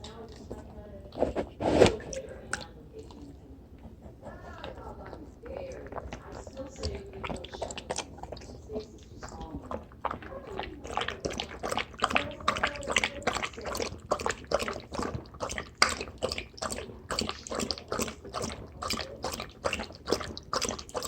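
A basset hound drinks with loud, sloppy lapping, a quick run of wet clicks and slurps that grows steadier and faster. A person's voice can be heard talking during the first few seconds.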